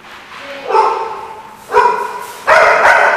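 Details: Dog barking: three rough, hoarse barks spaced about a second apart, the last one longer and drawn out, over a low background hum.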